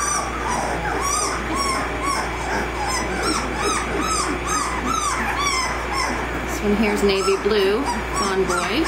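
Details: Litter of 18-day-old American Mastiff puppies from Kimi and Viho at Sycamore Creek Ranch, overlapping high arched whines and squeaky squawks from several pups at once, almost continuous throughout, with a steady low hum underneath.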